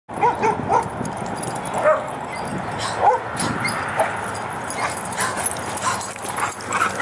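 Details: A pack of dogs playing together at a dog park in Prescott, Arizona: short sharp barks and yips from several dogs at an uneven rate, about one each second, over a steady broadband hiss of outdoor background noise.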